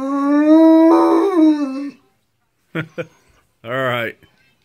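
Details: A harlequin Great Dane, howling along to videos of other dogs howling, gives a long, steady, mournful howl, then short yips and a wavering whine; finding: Great Dane.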